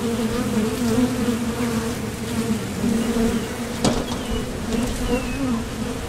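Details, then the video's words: Wing buzz of honeybees coming and going at the entrance of a Top Bar Hive on nectar-gathering flights, a continuous two-layered hum that wavers as bees pass, with one sharp click just before the four-second point. "Bees Sound Effects | WHITE NOISE | RELAJANTE Sonido de las Abejas"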